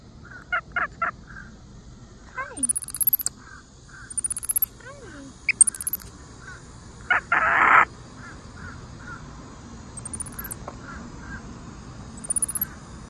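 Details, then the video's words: Monkey at a wildlife park in Dade City, chirping: short high tweets and clicks repeated in small bursts, a few louder harsh squeaks, and thin very high chirps, with quiet background. "Adorable sweet monkey chirping"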